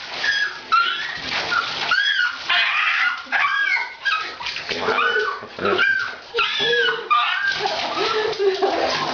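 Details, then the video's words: Female dog protesting a bath with broken whimpering yelps and short howls, mixed with human speech and sloshing water. "A Bad Dog Makes a Terrible Noise While Being Bathed"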